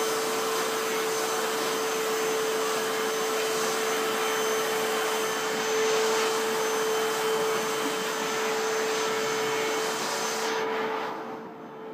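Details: A vacuum cleaner hums loudly and steadily indoors, then switches off near the end.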